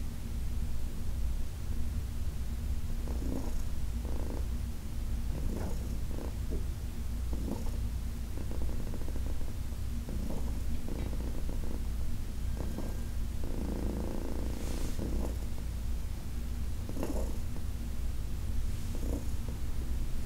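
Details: Massage of Heidi, a 14-year-old cat adopted with her companion Dinah from the Humane Society of New York City; a steady low purr runs throughout, punctuated by repeated soft strokes and rubbing sounds.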